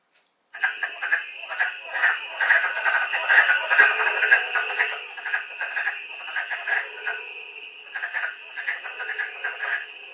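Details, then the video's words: Wood frogs from Long Island played back indoors: a group of rapid, hoarse, duck-like quacking clucks overlapping densely, like ducks quarreling or talking, pulsing for about ten seconds. "that's what a wood frog sounds like that kind of duck quacking"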